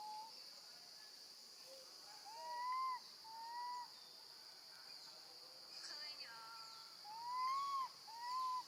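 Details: Young female monkey, left alone with her grandmother, calls for her mother: a rapid series of tonal, arched wails rising then falling, some long and loud, some short, over a constant high insect-like drone.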